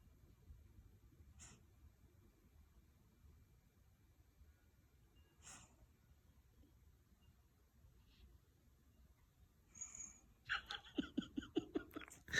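A Shiba Inu gives a few soft, breathy sneezes, then a quick burst of sharper snorting sneezes.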